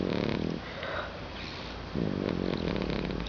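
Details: Sleeping dog stretched out on a couch at home gives two long, rough, droning snores separated by a quiet breath, each rattling and nasal with a steady low buzz.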